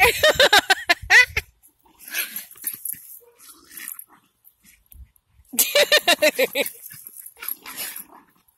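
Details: Two Jack Russell Terriers at home in rapid, rough barking bursts, about three per second, in two volleys near the start and after a short lull, with scuffling between.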